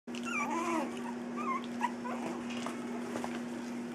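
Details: Three-week-old puppies at play indoors give thin squeaky whimpers that rise and fall, several short squeals in the first two seconds, over a steady low electrical hum, followed by softer faint squeaks.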